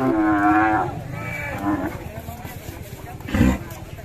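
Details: A raging cow that has broken loose, its owner angry, gives a loud, low, droning moo with rich harmonics lasting under a second. Short later cries, scraps of voices and background music follow.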